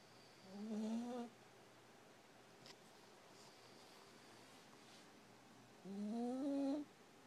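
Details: Exhausted puppy asleep, snoring: two drawn-out, rising, whiny nasal breaths about five seconds apart, each lasting under a second, with quiet room hum between them.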